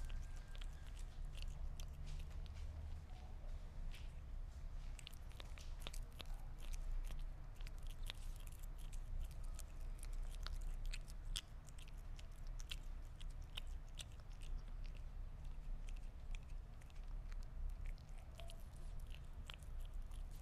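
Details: Meat being eaten by a Sphynx cat, with dense, continuous crunching and biting clicks, quick and uneven, sometimes several per second, over a constant deep background hum.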